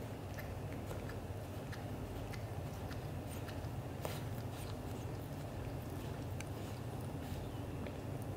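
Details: British Shorthair cats indoors, black golden father Leo showing affection to black golden mother Mimi; steady low rumbling purr pulsing rapidly throughout, with scattered soft clicks and rustles on top.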